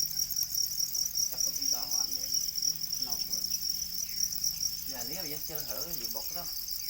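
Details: A chorus of domesticated black crickets, known as para crickets, gives a continuous shrill pulsing trill, while human voices break in during the middle and more strongly in the last seconds.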